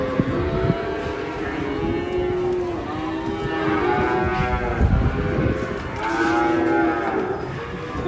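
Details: Cattle unloading from a truck, said to be agitated: long, deep, harmonic moos, several overlapping and rising and falling in pitch, one after another through the whole stretch, with a low background rumble.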